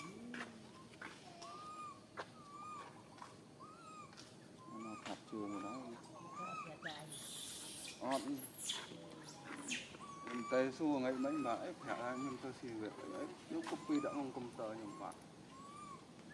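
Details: A tiny baby monkey stuck alone high in a tree gives repeated thin, arching, fearful cries, calling for its mother.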